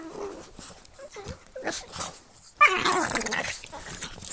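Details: Pug and Boston Terrier mouth-wrestling in play; low grumbling growls and short whines build into a loud, harsh snarling burst in the second half, with rustling movement.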